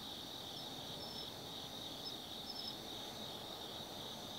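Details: Autumn insects singing at night in the Tsukimi no Mori forest, Kaizu, Gifu Prefecture, Japan, from a lookout 180 m above the Nobi Plain: a steady high shimmering drone with a few thin, brief chirps on top, over faint background hiss.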